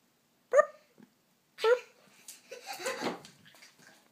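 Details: Dog, apparently named Pishta, asked indoors to do a super bark, gives two short sharp tonal barks about a second apart, followed by softer muffled rustling and vocal sounds.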